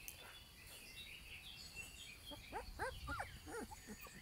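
Alaskan Malamute puppies give short, high, arching whines and yelps in quick succession over a noisy background.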